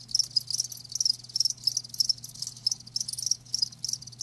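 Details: Close live crickets giving clear, sharp high chirps in short bursts, roughly three to four per second in a regular pulsing rhythm, with a low steady hum in the background.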